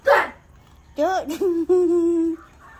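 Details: Dogs, among them the little female SoRA, howl early in the morning after a siren alarm wakes them. A sharp opening yelp gives way to wavering, bending howls that settle into one long, steady held tone. Voices can be heard nearby.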